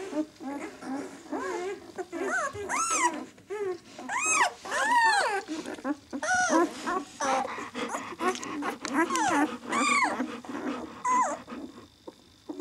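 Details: A litter of White German Shepherd puppies, six days old, "of White Night" B litter: a steady chorus of high, arching squeals and whimpers, several pups calling over one another in bursts with short gaps.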